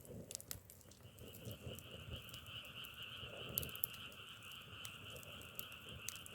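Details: Frogs calling as a dense, steady chorus of two held buzzing tones that enters after a second, with sharp crackling pops scattered throughout like burning firewood.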